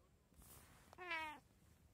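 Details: Short-legged Munchkin cat, one of three house cats filmed on 2024/03/17, gives a single brief meow: a bright harmonic cry holding steady, then sliding downward over about half a second, with a soft click just before and quiet room hiss.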